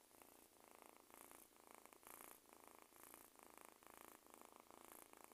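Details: A kitten purring steadily, a soft rumbling buzz swelling and easing in short cycles with each breath, about two per second, in a quiet indoor setting.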